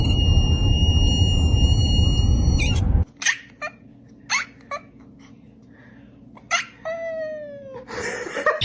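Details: Domestic cat indoors giving a few short, descending meows, the clearest near the end, after a loud steady hum with tones fills the opening seconds; faint clicks and rustles between calls.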